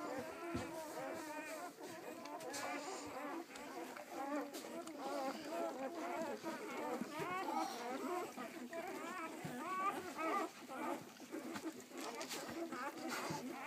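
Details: Nine newborn, striped Weimaraner puppies, only a few hours old and born 24 September 2012, give a steady chorus of thin, high, overlapping squeaks and whimpers.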